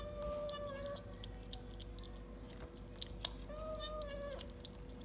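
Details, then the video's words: Domestic cat eating a treat for the first time, giving two steady, level, tonal mews about a second long each, with clicky chewing noises between them in a small indoor room. "Cat funny sound first time eating treat"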